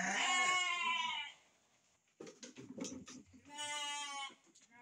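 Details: Sheep kept for breeding: a long, harsh, trembling bleat at the start, then a stretch of scuffling and rustling noises, then a second drawn-out, quavering bleat near the end.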